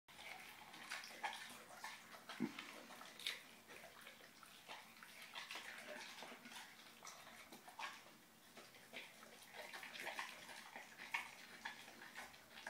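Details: Bullmastiff and English bull terrier cross puppy eating its first fish: wet, smacking chewing noises in irregular bursts, with sharper clicks near two and eleven seconds.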